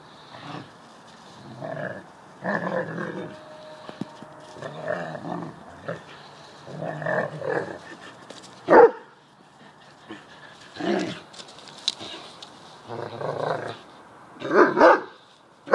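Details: Two deerhounds in a garden play fight, a pup squaring up to an older dog; repeated throaty growling bursts every second or two, broken by a few sharper barks.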